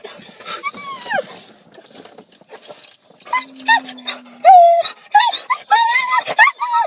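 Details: Excited Siberian Huskies arriving at a dog park: loud, high whines and yelping cries that slide downward, repeated in quick bursts, with a low steady tone and some human speech around them.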